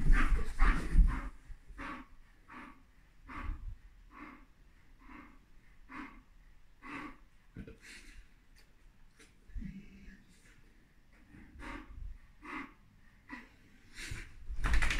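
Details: Bull Terrier Dougie pestering his mother to play one morning: short, breathy snorting huffs repeated roughly three times a second, a couple of louder rough bursts at start and end, and a woman's voice nearby.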